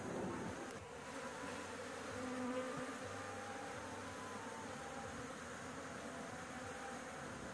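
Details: A constant low drone from honey bees at a nest under a house roof while honey is being taken, swelling slightly early on and then holding an even buzz.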